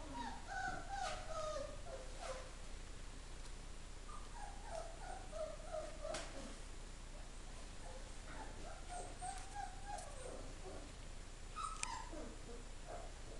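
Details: Greyhound pups four weeks old, recently orphaned yet eating, giving faint high whimpers that bend up and down, several overlapping short whines in quick irregular succession with occasional clicks over a low steady hum.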